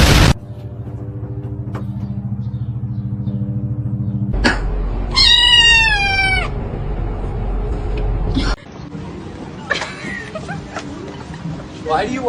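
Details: Domestic cat giving a long, drawn-out meow that wavers and slides downward in pitch, with strong harmonics, set among human voices, laughter and a steady low background hum.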